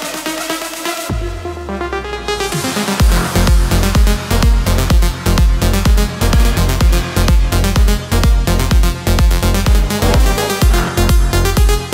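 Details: Pounding electronic dance music with a steady thumping beat plays throughout, with no animal sound present.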